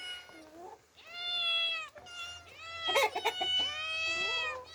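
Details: Orphan female cats Demi and Dena, outdoors in nature for the first time, give long, sustained, high meows with rich harmonics, one overlapping another, with brief clattering noises in the middle.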